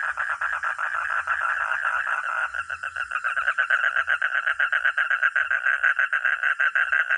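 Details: Frog or toad croaking in quick rattling bursts, overlapping voices forming a continuous pulsed chorus that grows a little louder and busier after the first few seconds.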